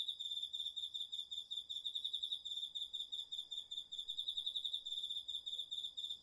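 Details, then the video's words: Autumn insects, crickets among them, chorusing at night in a home garden vegetable plot, recorded on a DR-40X; a steady high ringing trill of rapid pulsed chirps continues throughout without pause. "秋の虫の声 ASMRでおやすみなさい 〜虫の音を枕元で聞いてね〜 こおろぎ他"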